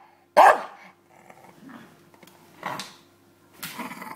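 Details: Bulldog playing with a pillow indoors: one loud, sharp bark, then softer growly, snorting huffs and a second and third rougher bark-like outburst spaced about a second apart.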